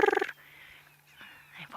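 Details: Dwarf mongooses give an alarm call at sunset in Sabi Sand on 21 September 2016, a quick quarter-second burst of rapid, pulsed, harsh chirps as they flee to ground from an eagle overhead, then faint scattered background sounds.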